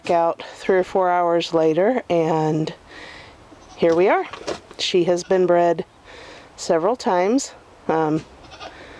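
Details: Nigerian Dwarf goats during breeding time. Wavering, quavering bleats lasting about a second each come in a cluster near the start and again later, mixed with human voices talking over them.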